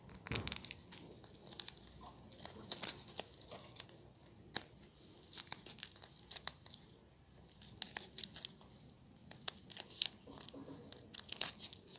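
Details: Soft tearing and crinkling of paper or wrapping fills a small quiet room in quick irregular bursts, with no animal voice heard.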